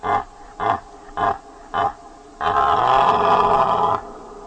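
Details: A deer calls with four short, evenly spaced grunts about half a second apart, then a sustained hoarse roar lasting about one and a half seconds before fading.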